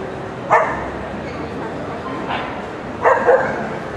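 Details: Toy Poodle at an FCI international dog show: two short, sharp barks about two and a half seconds apart, the second a quick double, with a softer yap between them over a steady hall murmur.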